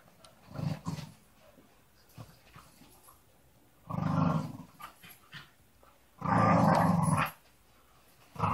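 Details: Three Staffordshire Bull Terriers at early morning rope play: low rumbling growls in three bursts, short at first, then longer, the last lasting about a second, with quiet scuffling and soft thumps between.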